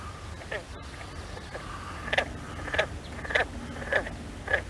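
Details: Green frogs calling at a cattail-fringed pond in Hoffman Park, Hunterdon County, give short plucked twangs like a loose banjo string, repeated roughly every half second.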